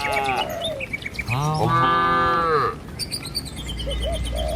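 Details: Herd of cattle walking along a village road toward their pen, among trees and rice fields: one drawn-out, harmonic moo lasting over a second, with shorter higher calls and chirps before and after.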